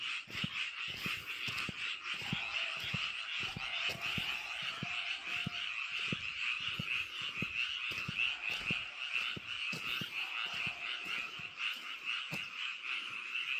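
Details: Frog chorus from a rice paddy, many callers croaking at once in a steady, buzzing wall of rapid rattles that barely pauses, with sharp low ticks or knocks repeating about twice a second throughout.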